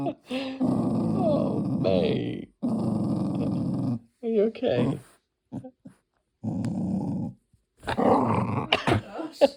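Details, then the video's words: A Tibetan terrier kept as a pet makes two long, low groaning growls indoors, followed by shorter sounds mixed with people talking and laughing. "dog makes some strange noises #tibetanterrier"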